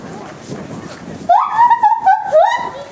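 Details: A 10-year-old male lar gibbon calls outdoors at Maruyama Zoo, Hokkaido, Japan, on a fine January day, giving loud, clear whooping notes that swoop up and down and echo through the zoo, after a murmur of background noise.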